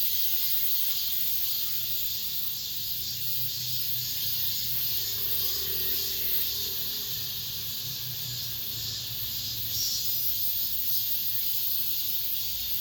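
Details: Cicadas in an apartment complex as summer ends, producing a continuous shrill drone with soft pulsing swells, over a faint low-pitched hum and murmur in the background.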